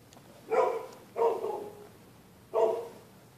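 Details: Neighbors' dogs barking through the night whenever anybody uses the public sidewalk on either side of the street; three loud, rough barks, the last two about 1.4 seconds apart, with a quiet background between them.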